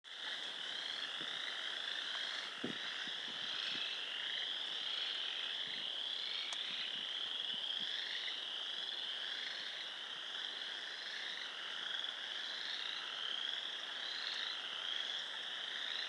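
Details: A chorus of frogs at a pond on a rural property in Sanborn, New York, on 29 March 2020; dense continuous high trilling from many callers blends into a steady wall of sound, with a few faint clicks.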